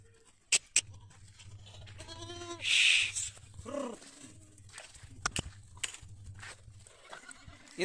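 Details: Goats on a farm in a village near Pushkar in Ajmer, Rajasthan, India: two short, wavering bleats separated by a loud burst of hissing noise, with sharp clicks, a few knocks and a continuous low hum.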